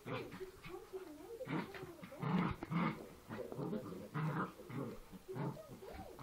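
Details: Play-fighting Poochon puppies make throaty growls and grumbles, uneven bursts that rise and fall over several seconds, mixed with rustling and scuffling.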